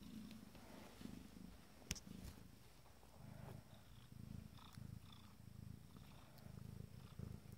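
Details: Fourteen-day-old Abyssinian kittens from a first litter purring with pleasure: low rumbling purrs come in bursts separated by short pauses, with a sharp click near the two-second mark and light rustling.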